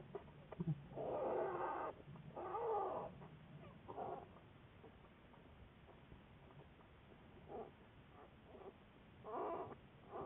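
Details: American black bear studied by researchers, February 10, 2014: a few moaning, harmonic calls, the strongest early on, then shorter fainter bursts separated by quieter stretches of low rumbling background noise.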